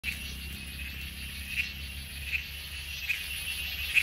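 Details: A cicada in Coorg gives a steady, high, hissing drone without a break, with short ticking notes every second.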